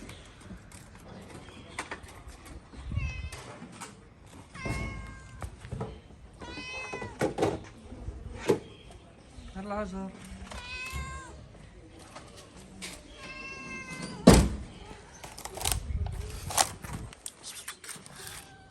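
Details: Moroccan stray cats: a tomcat forcing a mating attempt on a calico. Repeated wavering, whiny meows, some rising and falling, come every few seconds amid thuds, a man's voice and street background.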